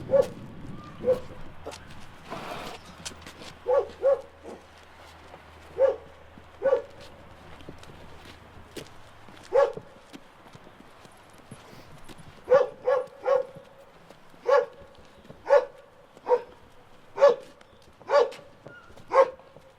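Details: Dog with an embedded collar during a rescue by the World Animal Awareness Society: short sharp yips and barks, mostly single, some in quick pairs, repeated every second or so, with footsteps and a low hum early on.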